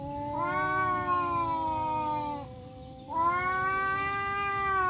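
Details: Two male village cats, a black one and a striped one, face off in a forest. Long, drawn-out, harmonic yowls rise at the start and then sag slowly. Two overlapping voices carry on with a brief dip near three seconds.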